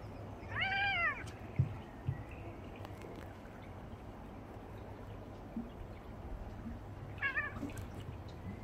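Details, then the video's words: Two male Ragdoll cats, one blue and one sepia, play-fighting indoors, rearing up like bears while wrestling; a short, strained, rising-then-falling yowl opens the scene, a second briefer cry follows near the end, with faint thumps between. "Fluffy Ragdoll Cat Fight!"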